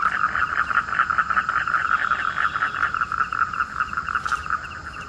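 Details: Rain-triggered frog chorus at night beside a family pond in rural Bengal, during a stormy winter evening; a fast pulsing croak train running continuously, slightly fading toward the end, with a brief click near the close.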